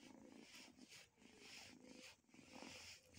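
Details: A hungry albino kitten purrs softly in steady cycles at 6:52 in the morning on 12 August 2020, and the owner calls it happy.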